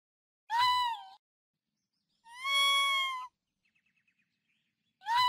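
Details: Raccoon giving three high, mewing cries: a short one with a drooping tail, then a drawn-out, level wail lasting about a second, then another short cry, with a few faint ticking sounds in the quiet gap.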